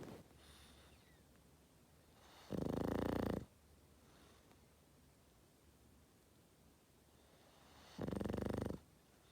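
A Boston Terrier snores in loud, rasping bursts, each lasting about a second, with quiet breathing between.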